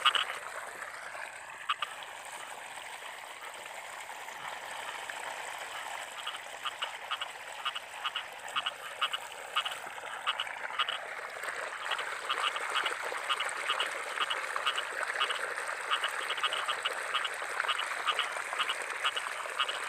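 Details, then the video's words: Frogs of the rice fields in rainy-season weather: after a quieter start, a fast train of short, quacking croaks sets in, close to two per second, above a continuous hissing chorus. "Suara Kodok"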